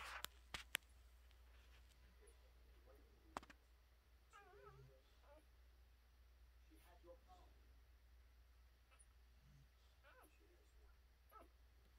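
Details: American Bully puppies, four days old, from a Cujo and Storm litter resting under a heat lamp and nursing from their mother; faint high squeaky whimpers in short bursts over a steady low hum, with a few sharp clicks.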